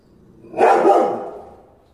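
A Rottweiler gives a single deep, full-throated bark that swells quickly and fades away.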